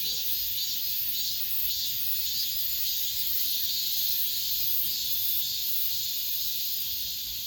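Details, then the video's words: Cicadas singing the last of this summer's song inside an apartment complex: a dense, unbroken, high-pitched buzzing chorus that swells and eases gently about twice a second, with no other clear sounds. "올 여름 마지막 매미소리"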